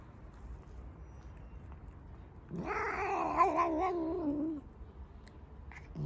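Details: One loud black pet cat lets out a single two-second wavering yowl that rises then slowly sinks, after quiet room noise, with the start of another cry at the end.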